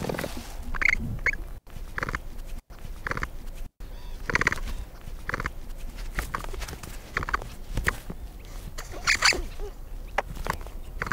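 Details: Capybara, a herd-living South American wetland rodent, vocalizing: short rough bursts repeat every second or so, some with squeaky, whistle-like tones mixed with grunting noise, broken by several abrupt silent cuts.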